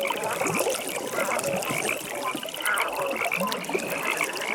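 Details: Frogs calling at a pond in the evening, a dense wash of overlapping croaks with a rapid pulsed trill running steadily through the background and faint water trickling.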